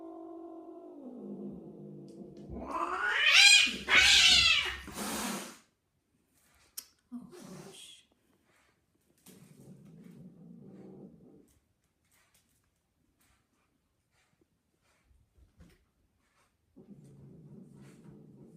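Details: Female domestic cat in heat during mating: a drawn-out harmonic yowl sliding slightly downward, then a loud, harsh screaming burst, followed by brief scuffles and quieter low rustling.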